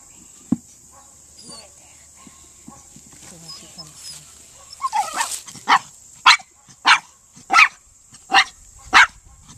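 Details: A male Miniature Pinscher working the quarry in a Senior Earthdog demonstration, barking in sharp bursts that start hesitantly then settle into a run of about seven barks roughly every half second, with faint handler speech earlier.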